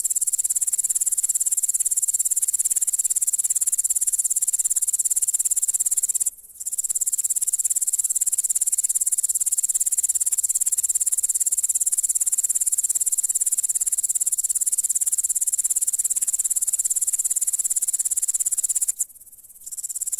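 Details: Grasshopper producing an intense, even, high-pitched buzzing trill that holds steady, pausing briefly twice before resuming.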